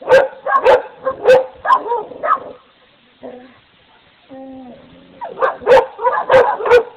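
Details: Dogs barking in sharp repeated bursts, several barks in quick succession at the start and again at the end, with a quieter gap in the middle holding a soft whine and low tonal sounds.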